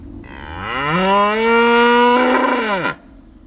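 A cow gives one long moo that rises, holds steady for about two seconds, turns rough and then drops away at the end.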